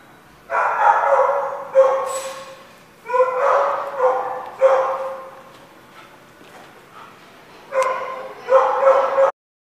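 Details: Dogs barking in a lot, recorded on 1/4/16: loud, harsh, broadband barks in bursts of one to three, about six clusters separated by short pauses, with faint quieter barking in between.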